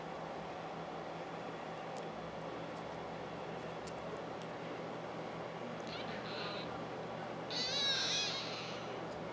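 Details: Exotic Shorthair kitten named Mario at Prism Ridge Persians & Exotics, giving two thin, high-pitched mews near the end: a brief faint one, then a longer squeaky, wavering cry, over a steady low room hum.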